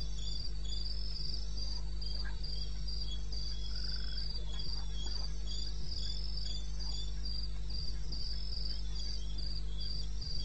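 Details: Crickets trilling in short, evenly spaced high bursts, near three per second, in the eastern Botswana wilderness at 2:30 AM on 21 May, with a steady low background drone.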